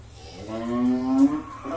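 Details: Calf diagnosed with lumpy skin disease virus and under treatment, swollen and reddened skin, shaking; gives one drawn-out, tonal moo that rises slightly and swells toward its end, with a person speaking nearby.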